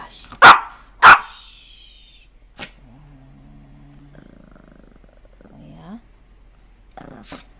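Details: Dog barking twice in quick succession, loud and explosive, then a further single bark and a low whining, humming sound, with a final sharp bark near the end over quiet background.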